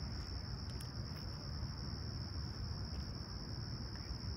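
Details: Summer morning crickets at Humber Bay Shores, Toronto, 28 July 2020, clear and calm at sunrise, 20ºC: a constant shrill buzzing tone runs throughout above dense low-pitched background rumble.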